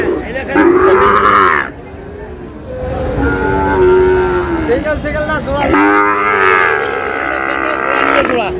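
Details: Sahiwal breed bull calf at a cattle market in Sylhet, Bangladesh, 22 May: two strong, resonant moos, the first short and the second long and sustained, with a pause between them and people talking nearby.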